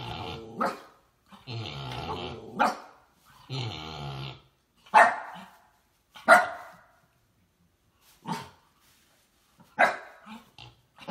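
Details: Miniature Siberian Husky at play in a dog game: long, rumbling growl-howls of about a second each, then short sharp barks spaced a second or two apart, with quiet gaps between them.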